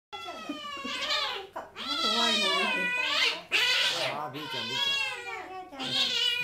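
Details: Two-month-old kitten at a veterinary hospital, struggling during a temperature check, gives loud drawn-out harmonic cries in several long bursts, with a woman's soothing speech mixed in, indoors.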